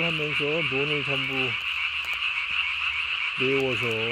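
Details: Japanese tree frog at night, recorded 3 May 2020, throat sac swollen as large as its body: a burst of rich, slightly quavering harmonic croaks, a pause, then another burst, over a constant high-pitched chorus drone.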